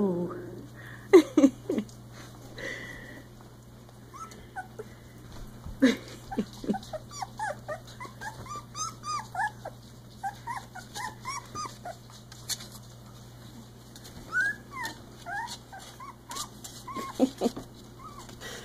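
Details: Three-week-old Icelandic Sheepdog puppies give rapid squeaky yips and whines with a few tiny rough growls.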